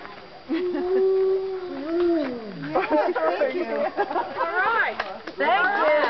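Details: At a Colorado wildlife center during the day, a wolf gives a low drawn-out howl that dips and falls, followed by a jumble of higher wavering yips and howls from the pack.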